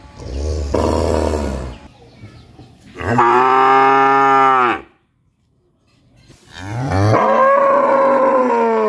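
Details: Loud cow moos: three long, rich, harmonic calls, the second steady and strong, the last rising then held, separated by a near-silent pause.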